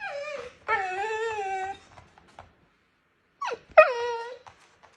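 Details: Husky named Mati at home indoors gives two howling, whining phrases about three seconds apart. Each starts with a falling yelp and then holds a wavering, overtone-rich tone. The room is otherwise quiet.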